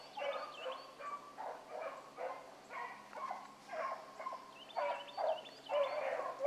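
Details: Hound pups such as Ringo, Mingo and Choco running rabbit one morning; fast, uneven bursts of baying around two per second, several voices, a few high squealing yelps mixed in.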